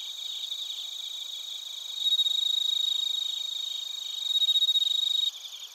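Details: Crickets including bell crickets in Narita, Chiba, Japan, captured with a TASCAM Portacapture X8; a close caller gives loud, rapid pulsed chirps in two bursts over a continuous high-pitched ringing chorus, ending abruptly.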